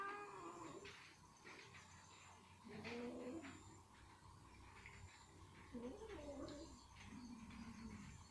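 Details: Female ginger cat struggling to free chicken meat stuck in her teeth makes several low, bending, strained vocal sounds spaced a few seconds apart, with chewing clicks and a muffled indoor background.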